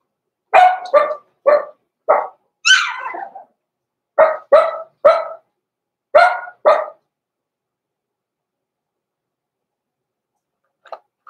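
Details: Blenheim Cavalier King Charles Spaniel puppies, born November 14, 2022, in an indoor puppy pen at Christmas time. About ten sharp, bright barks come in quick pairs and bursts over seven seconds, followed by silence and faint yips at the end.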